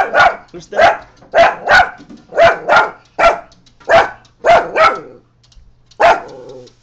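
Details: Coton de Tulear dog barking at a neighbour as a home alarm, a run of sharp, loud barks in pairs and singles, about a dozen over seven seconds, with a short pause before a final bark.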